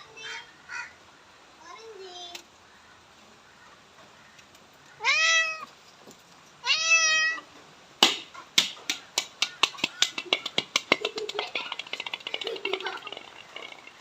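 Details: Domestic cat making weird calls while pooping: a few soft short mews, then two loud, drawn-out, harmonic meows that rise and fall, followed by a run of rapid sharp clicks and rustles.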